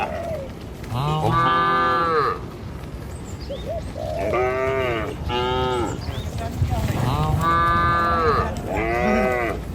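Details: Tame village cattle, dozens driven by a herder across a river bridge in the morning toward fields: long drawn-out moos, some rising then falling, several overlapping, over a steady background rumble.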